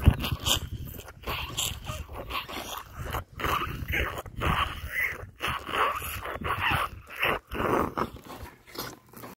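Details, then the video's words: Baby rhino drinking milk during a feed, thoroughly enjoying it; bursts of wet slurping and sucking with brief pauses between, roughly one to two per second, broader and hissier than low gulps. "Baby rhino Thaba makes adorable slurping noises as he drinks his milk"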